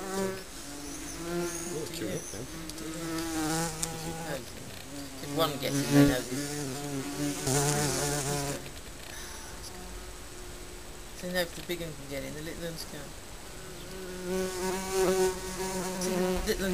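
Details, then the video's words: Honey bees coming and going at a colony under a garden shed, loud wavering buzzes rising and falling as bees pass repeatedly, with quieter stretches between passes. "Bees abuzzing Honey Bee"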